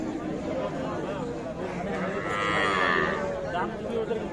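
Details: Cow with calf at the Ambari market in Dinajpur, Bangladesh, on a Friday in mid-December 2023; a brief arched moo of about one second rises out of dense background chatter as buyers discuss prices.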